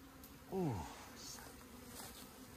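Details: Honey bee from a hive kept in the hills near Meilin, Puning, Guangdong, opened for honeycomb harvest: a single passing buzz that swoops downward in pitch, over a steady low hum and faint background noise.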